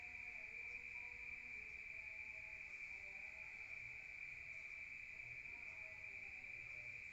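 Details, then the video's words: Night-time crickets in the countryside, heard from inside a room: a steady, shrill continuous trill dominates from start to finish, with faint low background rumble. "Rural Nature Sound of crickets at night"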